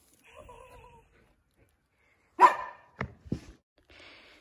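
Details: Samoyed dog during the invisible challenge, indoors, gives one sharp bark followed by two brief gruff huffs, with faint voices before and after.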